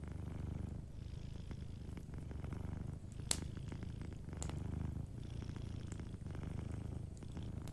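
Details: A gently purring cat asleep beside a cozy fireplace; a deep, continuous rumbling purr pulses in slow breathing cycles, broken by occasional loud pops and light crackling of burning wood.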